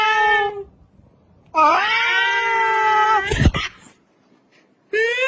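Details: Domestic cat meowing indoors: a short mid-pitched meow, then a long drawn-out meow that bends upward and holds steady with rich harmonics, a brief noisy thump, and the start of another meow at the end.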